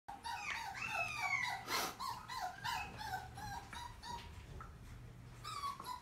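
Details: Dogs at a pet shop, several high whining whimpers and yips with wavering tones near one kilohertz, repeated rapidly over a low steady hum, one sharp broadband bark-like burst midway.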